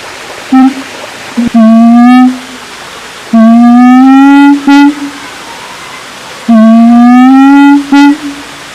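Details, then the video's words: Siamang giving a regular run of three long, steady hoots that rise gently in pitch, each closed by a short sharp note, about every three seconds. "Suara Siamang"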